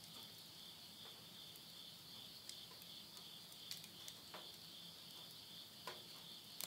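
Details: Late-summer insects calling at midnight, Yurihama, Tottori, Japan, September 2020: an even, high steady trill holds throughout while occasional snaps and crackles of burning wood in a stove break in.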